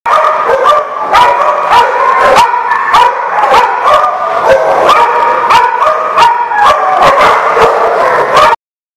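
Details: Dogs barking, recorded 9 September 2019: loud, dense, overlapping barks with sharp pulses about every half second, unbroken for over eight seconds before cutting off abruptly.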